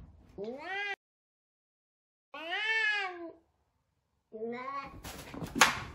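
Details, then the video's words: Large F2 Savannah cat named Sabian or Sabina, frightened at first meeting a little kitten: three drawn-out harmonic meows, the first rising then falling, followed by a burst of noisy rustling at the end. "F2 Savannah Cat Frightened of Little Kitten"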